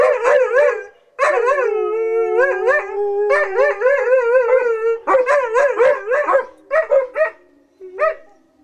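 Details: Old English Sheepdog puppies howling, practising their singing: wavering, tonal yowls with rich harmonics, some held notes sliding up and down, broken by short yips and pauses.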